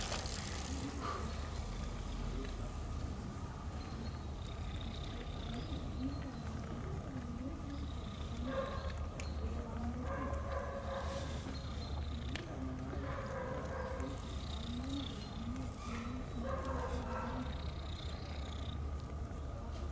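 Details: Stray kitten following a man outdoors, giving a series of short tonal meows spaced a few seconds apart over steady low traffic rumble.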